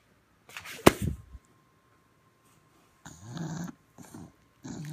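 An English Bulldog grumbles and moans in low, throaty bursts, demanding attention and play.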